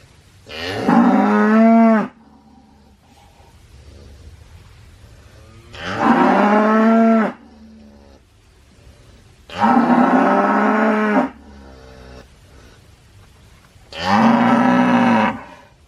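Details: Cow lowing four times across sixteen seconds, each moo roughly one and a half seconds long with a wavering, rising-then-falling harmonic pitch, separated by quiet gaps of a few seconds.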